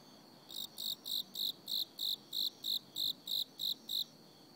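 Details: Cricket singing in autumn: a steady run of twelve bright, high-pitched chirps, each a short pulsed burst, repeated about three times a second in an even rhythm over a faint background hiss.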